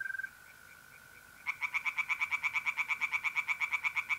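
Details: Tree frogs singing in a pond on a mid-April night in North-East Italy: a long run of rapid, evenly pulsed rasping notes starts after a short pause, over the steady, continuous trill of mole crickets.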